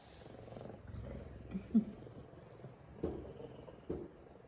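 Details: A big male F2 Savannah cat purrs with a steady low rumble while giving headbutts and affection, with a few soft thumps.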